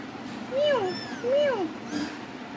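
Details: Cat giving two clear, rising-then-falling meows close together, followed by a fainter short sound, indoors with a voice talking just before.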